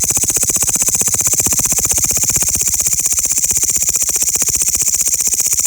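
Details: Loud grasshoppers singing: a steady, high, hissing buzz made of rapid, even pulses that runs without pause from start to end, with no other sounds standing out.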